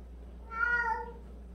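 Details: Single cat meow from a household of 76 cats, many rescued strays and abandoned animals: a clear, tonal cry about half a second long with rich stacked overtones, slightly rising then falling, over a steady low hum.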